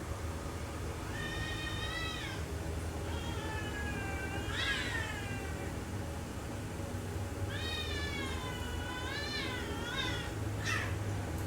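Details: Cats quarrelling: long, drawn-out wavering yowls with wailing rise-and-fall contours, given in bursts with short pauses between, a final sharp cry near the end, over a steady low rumbling hum.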